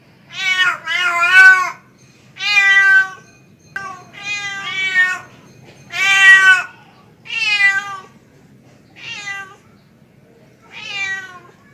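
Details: Male house cat calling to a female in a long series of about nine loud, harmonic meows, some paired in quick succession, others spaced a second or more apart, fading slightly toward the end.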